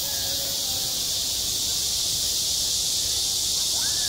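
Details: Cicadas singing at a school playground in midsummer, self-recorded: a steady, dense, high hiss-like drone that holds unbroken throughout, with faint scattered sounds far beneath it.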